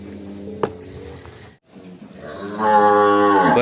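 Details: A huge fattened cow of over one ton, led out of a big pen in Indonesia, gives a long, loud, low moo that swells and holds steady in the final second, after a quieter lowing start.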